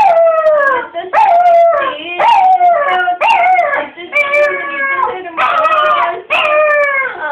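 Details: Pampered pet dog named Bruno whining and crying: a rapid string of short yelping wails, each starting high and falling, about eight in seven seconds, rich in overtones, with no other sounds competing.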